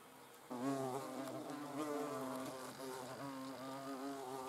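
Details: Hornet in flight: a steady, low droning buzz with rich overtones starts abruptly after half a second, then wavers slightly in pitch and loudness as it continues.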